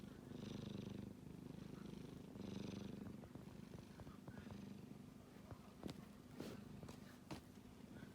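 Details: Sleeping kitten with a low rhythmic snore pulsing in slow waves at first, then quieter breathing broken by several sharp clicks and taps toward the end.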